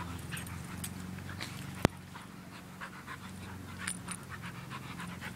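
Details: Australian Shepherd mix and Belgian Malinois mix playing together: rapid, airy panting breaths repeat throughout, with one sharp click near the middle and a constant low droning hum underneath.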